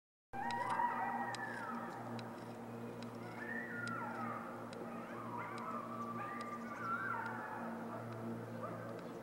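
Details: A distant coyote pack at Columns of the Giants near Sonora Pass, Sierra Nevada, California, howls together with overlapping wavering, sliding wails and short yips.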